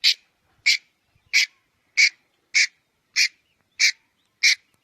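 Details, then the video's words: Red-headed squirrel calling with eight loud, rasping, noisy notes spaced about 0.6 seconds apart, each short and broadband, over a silent background. "เสืยงกระรอกหัวแดง. Suab nas ncuav liab qab"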